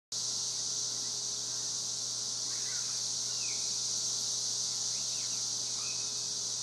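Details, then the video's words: Cicadas in Spring Hill, Tennessee, in a dense, steady high-pitched hissing drone that never pauses, with a few faint bird chirps and a low steady hum beneath. "Cicadas making noise in Spring Hill, Tennessee"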